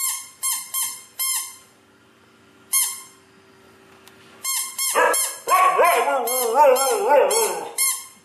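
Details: Siberian Husky named Nyockyee reacting to a sound. Opens with a series of short, sharp, high squeaks, then a pause. A wavering, rising and falling whine or howl follows, with more squeaks at the end, indoors in a small room.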